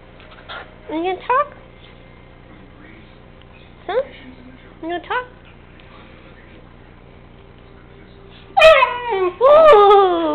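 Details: Sam, a three-month-old puppy, talking in half-whine, half-howl fashion: a few brief falling whimpers early on, then after a pause two longer, louder wavering howl-like wails at the end.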